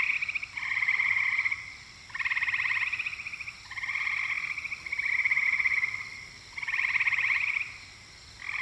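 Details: Eastern gray treefrog calling: loud, pulsed, musical trills about a second long, repeated roughly every one and a half seconds, six trills in a row with short silent gaps and no other sounds.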